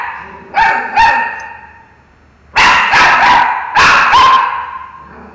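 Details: Pet dog barking at a mango, giving two short barks, a pause, then two louder clusters of rapid barks, each bark a harsh burst with a slight upward inflection.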